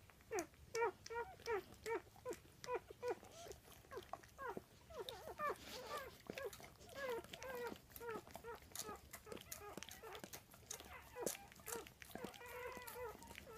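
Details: Newborn Weimaraner puppies from a litter of seven, some less than an hour old, indoors: short high squeaky whimpers and squeals repeated rapidly, about two a second, several pups overlapping, with faint clicks and handling noises.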